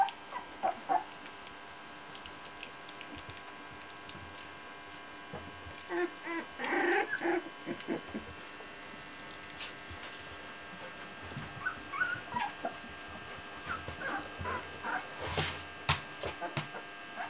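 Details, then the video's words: Old English Sheepdog puppies in June 2014, learning to walk properly and playing together. Short whimpers and yips come in scattered bursts, clustered around the middle and again toward the end, with soft rustling and handling noises between them. "Old English Sheepdog puppies"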